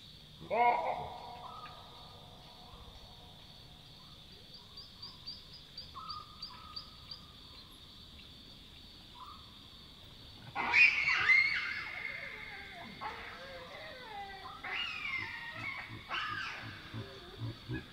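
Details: Wild Chacma baboons in the African bush at night give alarm barks, typically heard when they sense a nearby predator: a sharp bark opens, then a louder cluster of barks and squeals erupts later over insect noise.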